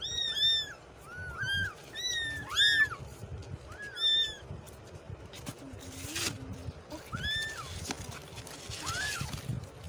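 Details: Kitten meows, several high arched cries with bright harmonics in quick bursts, some overlapping as if from more than one kitten, then a quieter spell with scattered knocks and two later mews over low rumbling background noise.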